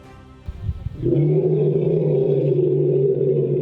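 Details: Asian elephant roaring in a valley at a one-square-kilometre ethical elephant sanctuary in Thailand housing 85 elephants. A loud, deep, sustained harmonic bellow, likened to a lion, holds for nearly three seconds. The guide says such calls signal great happiness or anger.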